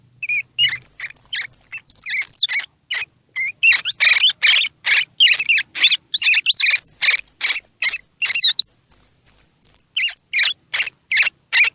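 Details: Baby squirrel calls, used to stimulate baby squirrels to eat, both those with eyes open and those whose eyes are not yet open: rapid bursts of high, squeaky chirps in quick succession, interleaved with thin, very high whistled notes.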